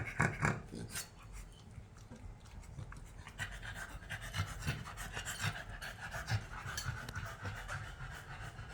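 A Cavalier King Charles Spaniel snores in its sleep, making soft, rough, breathy rasps. The puffs come quickly and unevenly, like light panting, against a quiet indoor background.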